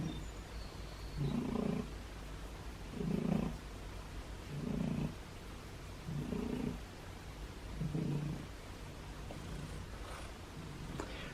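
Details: Low, rumbling purr from a recovering, formerly feral thin male cat, kept indoors on recovery day 26, being petted and offered food; steady pulses roughly every two seconds, each swelling then fading, over faint background hiss.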